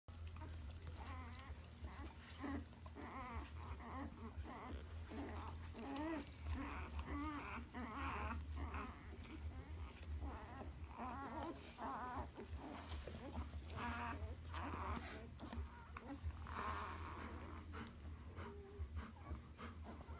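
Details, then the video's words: Several one-day-old Alaskan Malamute puppies from Mountain Ridge Malamutes, giving overlapping high wavering whines and squeaks throughout, with a steady low hum underneath. "Alaskan Malamute Puppies 1 day old"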